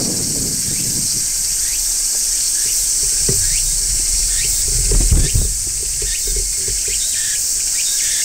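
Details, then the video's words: Large brown cicada shrilling in midsummer on a tree: a steady, unbroken high sizzling drone throughout, with faint short rising chirps scattered across it and low rustling thumps around the middle. "Cicadas Singing in Midsummer | Large Brown Cicada"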